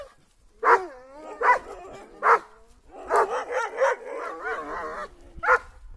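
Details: Kangal dogs on the attack: loud, high barks and yelps come in a spaced series, roughly one every second. Then a tumbling run of overlapping excited yelps follows, with one more sharp bark near the end.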